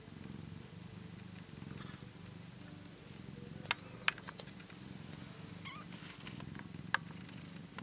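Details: Ten-day-old British Shorthair kittens purr in a steady low rumble, broken by a few thin high squeaks.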